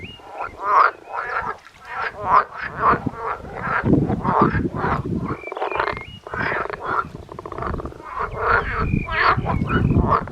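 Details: Frogs calling on the Danish island of Christianso in mid-June, seen close up with vocal sacs expanding; dense overlapping croaks pulse in rapid bursts, low rumbling energy beneath, with short whistled bird notes in the background.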